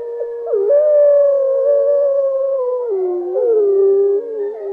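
Wolves howling together, long smooth tones that slide slowly up and down and overlap.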